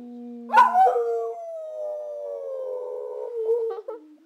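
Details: Abby, a brindle Boxer, howls after a low steady tone: a sudden loud yelping onset, then a long gliding howl that sinks gradually, ending in a few broken, choppy notes and a fading whine.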